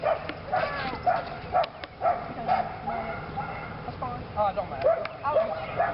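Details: A female Belgian Malinois named Lily barks steadily during PSA bite work on leg sleeves, her second time. Short, bright barks come roughly twice a second over a rumbling, noisy background with faint voices.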